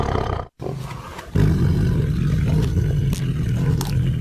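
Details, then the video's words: Tiger roaring: after a brief silent gap, a deep, rumbling roar swells and holds steadily, its energy concentrated in low booming tones with a rough, growly texture and no other sounds. "Awesome Tiger Voice Sound"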